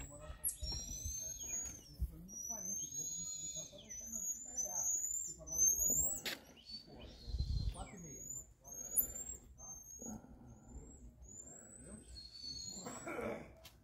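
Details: Several marmosets at a rescue and rehabilitation institute, recorded 13 May 2023, trade sharp, piercing whistles and quick tsik-like chirps, some rising, some falling, in a busy overlapping chatter over a low rumble and a brief human voice.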